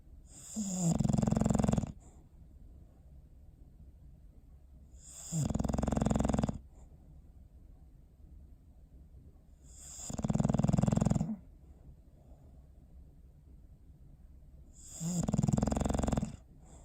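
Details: On December 21, 2019, dozing pet dog Bowser produces four regular, vibrating snores spaced about every five seconds, each lasting about a second, with soft breathing in the quiet gaps.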